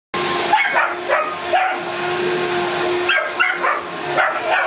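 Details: Boston Terrier barking at a running vacuum cleaner indoors: short, sharp, high barks in a loose series, over a steady loud roar and hum from the vacuum throughout.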